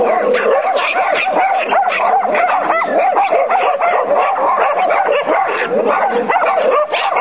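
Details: Irish Terriers Sonny and Jerry being trained, producing a constant run of yelping barks with some rising, whining notes, loud and steady throughout.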